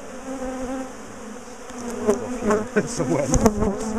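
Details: Honeybees from a large colony being split and moved out of a top bar hive because they chased their owners; an even, low buzzing drone that grows busier and louder midway, with fluttering whines and light knocks.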